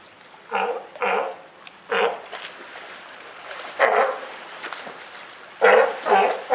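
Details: Mother California sea lion and newly born pup at Higashiyama Zoo and Botanical Gardens, Japan, 28 June 2023: hoarse barks, three in quick succession, then a gap and a few more, some overlapping.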